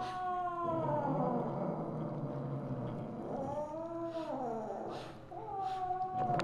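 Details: Misu, a mother Siamese (Wichienmaat) cat, calling on 2/1/2015 at 8:18 PM: long drawn, harmonic meows that rise and fall in arches, one sustained wail followed by shorter bent calls, over a steady low room hum.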